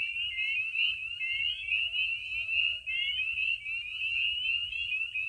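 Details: Chorus of spring peepers at Maine vernal pools on a spring night. Shrill, high whistled peeps from many frogs overlap without pause, with a brief dip in loudness near the middle.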